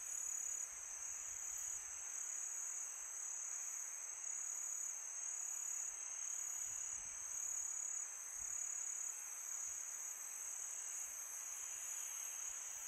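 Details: Night chorus of crickets in summer, an unbroken shrill ringing held at a constant pitch throughout, with a gentle rushing wind underneath and slight swells in loudness.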